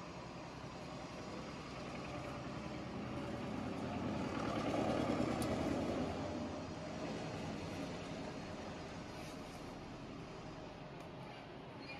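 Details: A vehicle's broad rumble swells toward the middle and fades away, with no animal sounds heard.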